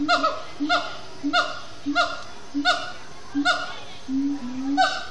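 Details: At Disney's Animal Kingdom, siamang gibbons chant at sundown. Evenly spaced bark-like calls fall in pitch, each paired with a short low hoot, coming about every two-thirds of a second, with a rising hoot near the end.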